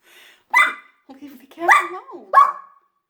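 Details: Puppy squealing while antagonising a cat indoors, as if hurt though unharmed: three sharp yelping bursts with a wavering whine between them, then a person's voice scolding.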